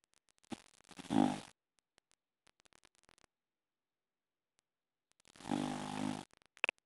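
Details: An English Bulldog from Boston, sleeping upside down on his back, snores in two long, rasping breaths several seconds apart; English Bulldog.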